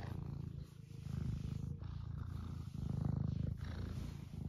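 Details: Eric, an 11-year-old semi long-haired domestic tabby cat in the UK, purrs while being stroked and wanting attention; a low, rumbling purr rises and falls in steady waves with each breath, close to the microphone.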